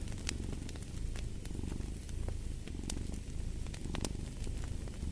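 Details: Steady, deep cat purring fills the foreground in soft repeated swells, while a fireplace crackles and pops sharply in the background.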